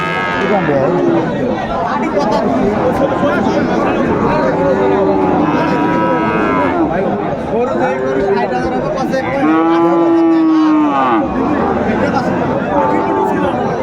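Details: Sahiwal-type cattle at Raniganj market in Bogura, Bangladesh, 23 December 2024, a busy market day. Several low, arching moos, each lasting about a second, sound over steady crowd chatter and nearby talking voices.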